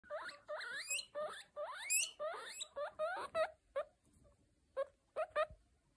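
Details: Baby guinea pig wheeking: a quick run of squeaky, upward-sweeping whistled calls, several a second, then shorter spaced squeaks after a brief pause.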